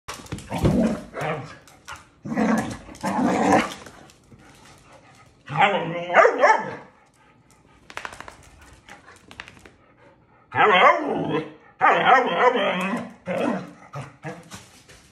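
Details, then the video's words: Two Belgian Malinois playing around inside a house in Mexico: loud, rough bursts of barking and yelping come in clusters of one to two seconds, separated by quieter pauses, with some human voices in between. "Two Sweet Malinois Dogs Playing Around in House"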